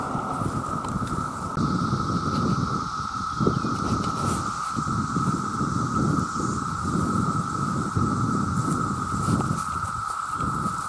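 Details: Male cicadas chorusing to attract mates, their constant level drone steady from start to end, partly masked by dense low rustling and wind-like rumble that thickens after the first two seconds.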